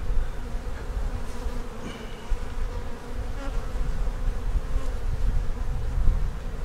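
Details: Honey bees humming inside an opened hive holding capped brood and a bunch of queen cells, possibly preparing to swarm; a thick, low, unbroken buzz with small fluctuations in loudness and brief light taps.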